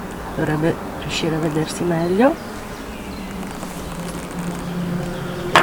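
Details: Western honey bees on the combs of a Top Bar hive during an inspection three weeks after a swarm was installed, in a part holding almost nothing yet; a steady low hum follows a person talking.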